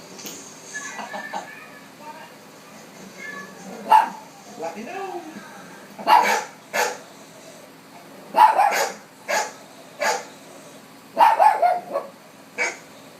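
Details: A dog barks at dogs on television in sharp, loud, short bursts, with TV voices murmuring in the background.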